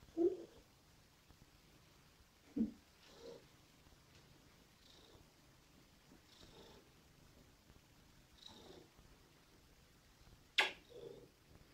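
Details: Verduzzo, a fawn Somali cat, purring softly while being cuddled indoors. A low, steady purr runs beneath intermittent breathy bursts, with a sharp click near the end.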